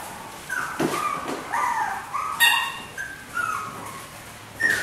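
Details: Four white miniature schnauzer puppy sisters born on 18 August give a run of thin whining whimpers and short yips, several overlapping, rising and falling in pitch, with brief quiet gaps between.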